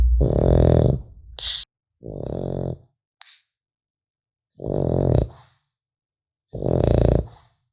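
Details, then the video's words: Sleeping French Bulldog puppy snoring indoors: harsh, throaty inhalations repeated roughly every two seconds, five in all, with a couple of short sharp nasal squeaks between them. "Храп щенка французского бульдога"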